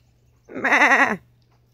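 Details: Goat, one of a small group of pet billy goats, giving a single loud wavering bleat of about half a second, nasal and strongly harmonic with a quavering 'meh' quality, in a quiet setting with a low steady hum.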